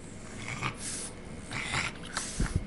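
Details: Male pet Boston Terrier 'talking' while begging for macaroni and cheese: two drawn-out, breathy, moaning bursts with a faint tonal edge, then short snort-like huffs near the end, over a low indoor hum.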